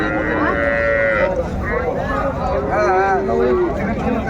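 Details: Cows among calves at the Raniganj haat cattle market, Dinajpur, 30 May: several drawn-out moos, one higher and bending down early on, then lower wavering calls overlapping, with steady market crowd murmur and music behind.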